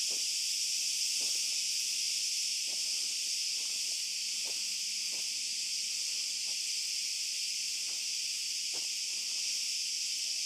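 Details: Night chorus of cicadas in an olive grove, heard on a walk with a dog: a constant, shrill high-pitched drone that never pauses, with scattered footfalls ticking beneath it.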